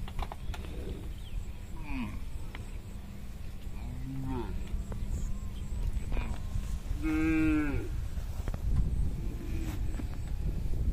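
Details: Tame herded cattle, hundreds strong, crossing a small bridge on the way back to their pen. Soft, distant lows early, then one loud, long moo midway, with steady low rumbling throughout.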